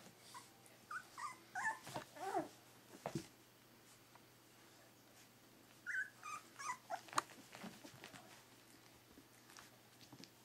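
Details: Berger des Pyrénées puppies, three weeks old, letting out two bursts of high, quavering whines and squeaks, each a cluster of short wavering cries separated by a quiet stretch with shuffling sounds.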